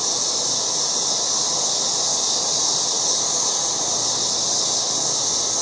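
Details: Steady wall of high, hissing buzz from many cicadas in a yard during August, loud and unvarying across the whole stretch.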